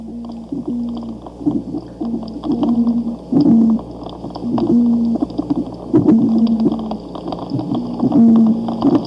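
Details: An oyster toadfish (Opsanus tau) in a zoo aquarium gives low, foghorn-like boatwhistle hoots, repeating about every one and a half seconds.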